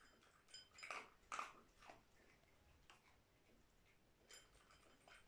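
A dog crunches dry food, with sharp, irregular chewing clicks and crackles in a quiet indoor room.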